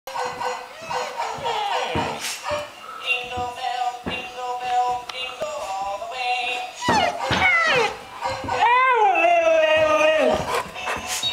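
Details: Pet husky singing along to 'Jingle Bells': indoors, a drawn-out wavering howl rises and then slides down near the end, over loud music with voices throughout.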